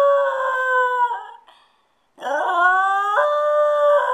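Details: Stewart, a spoiled pet dog left alone at home for ten minutes, howls in long sustained tones near the same pitch with a rich stack of overtones, then pauses briefly before a second howl that starts low, rises and steps upward.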